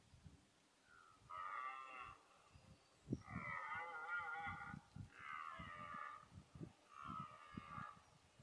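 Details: Red deer stags during the 2014 rut, chiefly a fourteen-point stag plus a twelve-pointer; four strained, harmonic roars a second or so apart, over low thuds and rustling nearby.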